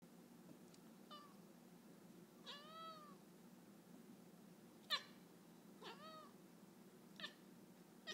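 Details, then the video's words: Pet cat Pokeweed chirps indoors at a bird just outside the window: a series of short, harmonic-rich chirps and trills, several bending downward in pitch, coming irregularly about once a second over a low, steady room hum. "Chirping cat is chirping"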